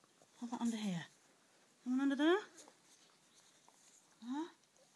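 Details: Newborn Border Collie puppies during a birth indoors, being helped to find the mother's nipples: three short whining cries that sweep upward in pitch, spaced about 1.5 seconds apart, with a woman's soft voice coaxing nearby.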